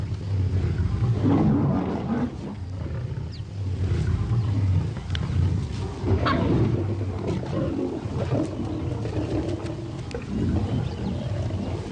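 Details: Lions clashing in the wild, a relentless rough growling and snarling din for twelve seconds, deep rumbles swelling in bursts, a few sharp cracks overhead, and a constant noisy wash.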